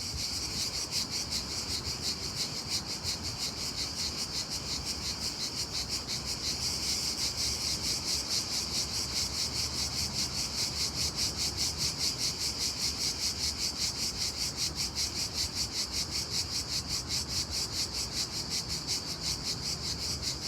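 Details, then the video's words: Unbelievably loud daytime cricket chirping, a continuous high-pitched pulsing trill keeping a steady beat of about two and a half pulses per second throughout. "Unbelievably loud cricket chirping sound in day time."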